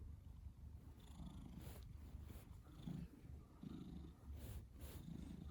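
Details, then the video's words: Pet cat, male, a habitual snorer, giving a deep throaty rumble that swells with each breath, several rhythmic pulses across a few seconds against a quiet room. "Snoring Cat"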